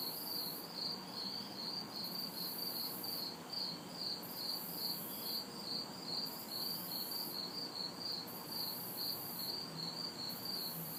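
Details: Crickets and cicadas singing together in a backyard on a hot, humid city summer night; a dense train of high chirps pulses steadily while a piercing buzz rises and drops in long stretches, distant traffic murmuring underneath.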